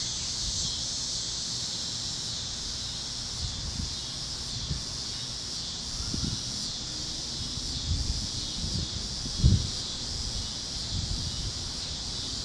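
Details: A Kansas field at sunset, where cicadas chirp alongside other critters: a continuous shrill insect drone with slow pulsing, plus scattered low thumps, rustling and a brief knock near the end.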